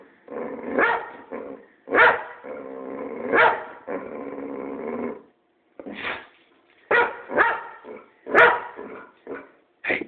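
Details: A pet boxer randomly barking at its owner: long, moaning growl-barks in the first half give way to a quicker series of sharp, clipped barks after a brief silence.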